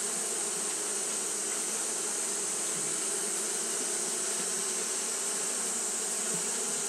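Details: Japanese honey bees fan without pause on a hot day, a thick, constant hum of several low tones that never rises or falls, with a high hiss running alongside.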